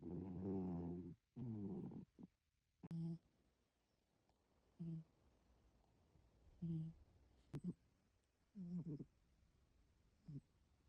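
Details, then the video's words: Domestic cat snoring while asleep, two long buzzy harmonic breaths at the start followed by shorter, softer snorts spaced irregularly every one to two seconds against near silence. "고양이도 코를 고냐구요? 개큰 YES!!"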